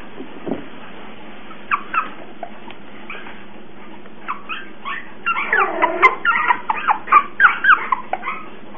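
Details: Cocker Spaniel puppy giving soft whimpers and yips, sparse at first then building into a rapid run of wavering high whines.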